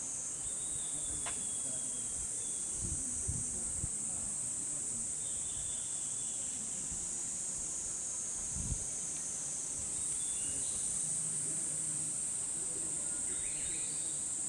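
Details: Chorus of cicadas in summer in the bamboo forest of Hokokuji temple, Kamakura, a cut recording repeated in a loop: an unbroken, high, hissing buzz holding steady throughout, with faint low thumps underneath.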